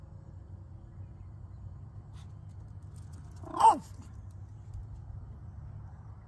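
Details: Yorkshire Terrier Oakley, who panics and cries whenever his companion Bella is out of sight, gives one short high-pitched yelping whine with a falling tail at mid-clip. The rest is a quiet room with a low hum.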